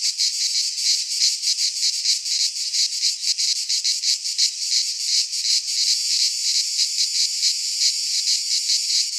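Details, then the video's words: In a Greek pine forest at midsummer, many cicadas sing together, a loud piercing buzz with quick uneven pulsations, unbroken from start to finish. "Cicadas singing in midsummer - Nature sounds from the Greek fauna - Sounds of cicadas"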